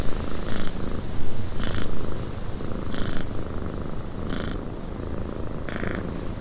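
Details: Purring cat in a cabin with wind outside: a low, vibrating rumble runs throughout, while short hissy bursts recur roughly every second and a quarter, fading to a steadier hum near the end.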